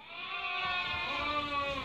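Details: A Merino sheep flock for import from Hungary, viewed by a customer from Türkiye, gives a steady, drawn-out bleat with a faint tremble, joined by other overlapping bleats throughout.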